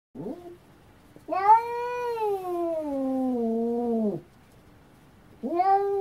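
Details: Cat meowing indoors: a short rising mew, then a long drawn-out meow that starts high and slowly falls for about three seconds, followed by the start of another rising meow.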